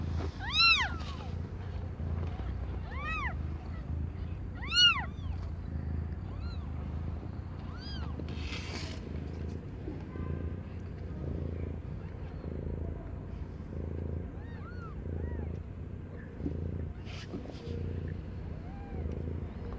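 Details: Cat named Aimee, not yet one year old, in the middle of birthing five kittens; loud, bright arched meows in the first few seconds, then only sparse faint mews over a steady low hum.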